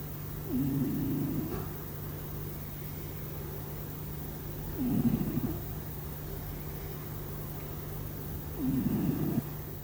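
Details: A sleeping house cat snores unknowingly; three rough, low, breathy snores of about a second each come at four-second intervals over a faint steady hum.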